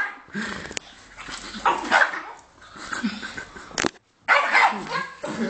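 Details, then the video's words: Greek dog in anger giving rough, noisy barks, a couple of loud bursts with a brief silent break before a final strong run of barking. "amazing greek angry dog"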